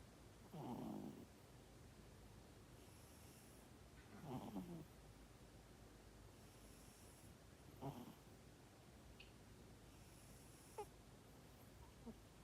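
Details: Sleeping cat snoring softly, with breathy low snores repeating roughly every three to four seconds and fading in strength, plus a couple of faint clicks near the end.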